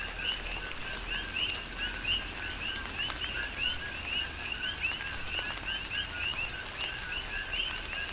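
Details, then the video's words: Rhythmic coqui frog chorus in a Hawaiian tropical rain shower on the Big Island: clear two-note calls, a low note then a higher rising whistle, repeated about every half second by overlapping frogs above steady rain hiss. "Tropical Rain & Coqui"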